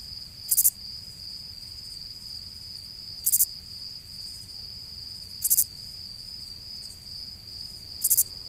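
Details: Shrill three-pulse chirps from a cricket repeat about every two and a half seconds, four in total, above an unbroken high ringing trill and quiet background noise.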